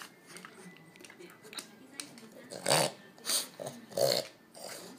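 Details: Amelie, a French Bulldog, urging her slow owner to go for a walk; three short, gruff bursts in quick succession over a steady background hiss with faint tapping sounds.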